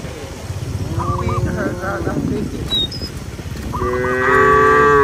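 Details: Cattle roaming a village field, lowing to call companions home to the barn. A single drawn-out, moderately high moo arrives near the end, after repeated short chirping bird notes over a steady low rumble.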